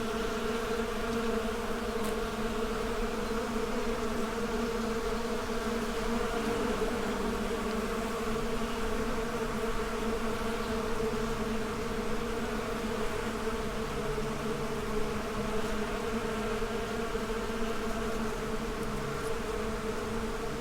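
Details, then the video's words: Swarm of honey bees humming continuously, a thick, even drone of stacked tones that barely changes in loudness over the whole stretch. "Bee Symphony: Soothing Natural Sounds for Relaxation"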